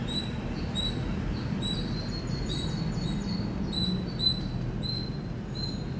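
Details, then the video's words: Indian squirrel giving loud, high-pitched chirps: short, sharp tonal notes repeated steadily and often in quick pairs throughout, over a constant low rumbling background noise. "Loud Squirrel Chirping Sound"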